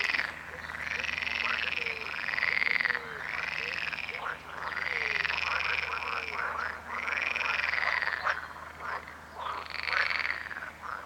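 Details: Chorus of croaking frogs: rasping, pulsed calls rising and falling in arcs, one after another roughly every second or two, with many callers overlapping and a faint low background drone.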